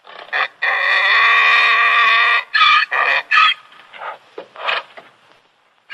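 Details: Donkey bray opening with a long, rich, sustained harmonic note of over a second, followed by shorter rasping bursts that fade out.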